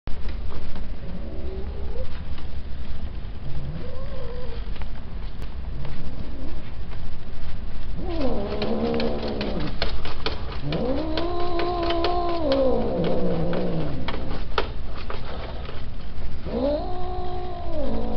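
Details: Peke-faced male cats kept for breeding; three long, drawn-out yowls, arched and wavering, heard in the middle and at the end, over steady loud low rumbling noise throughout.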